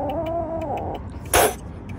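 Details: Angry stray kitten on the street uttering one long, slightly wavering meow that drops at its end, followed by a brief sharp thump against a low background hum.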